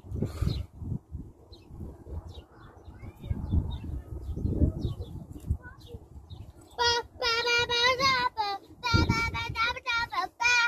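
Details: Plains zebra. Low rumbling background noise fills the first seconds. Then a plains zebra breaks in with a series of loud, nasal, yelping barks, each harmonic-rich and repeated in quick bursts.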